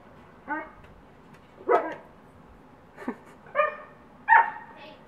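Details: Two dogs, including a neighbour's Siberian Husky, playing through a yard fence they have been digging under. Five short, harmonic barks and yips fall roughly one per second, some sliding upward in pitch.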